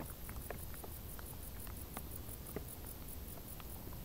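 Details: Crickets in tall grass on a hot summer day, a very high, thin pulsing trill repeating steadily several times per second over a constant low rumble, with scattered soft ticks and clicks.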